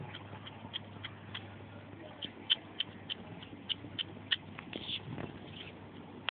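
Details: Male hedgehog feeding and producing strange sounds: quick runs of crisp clicks and wet smacks, loudest in the middle, with a brief soft murmur of human voice near the end.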